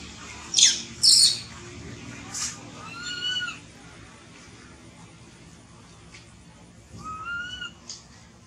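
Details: Hungry baby monkey Thona, without its mother, lets out two sharp rasping screams, then drawn-out wavering whines, a long pause, and another faint plaintive wail.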